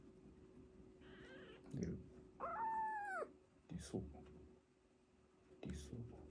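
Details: Kitten from an emergency-rescued foster sibling pair, a sister and brother, during toilet training indoors; a single high, arched meow with bright overtones rises and falls midway, amid low room noise, rustles and a brief human voice.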